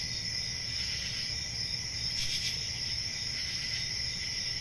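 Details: Crickets on a summer night in a forest setting, a dense, continuous high trilling chorus in several steady layers, with a faint shimmering pulse near the middle and a soft low rumble underneath.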